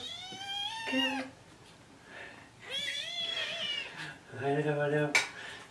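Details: Kittens Jugg, Anita and Ru calling for breakfast in the morning; a few long, bright meows, some bending downward, separated by quieter pauses, with a man speaking in a small room.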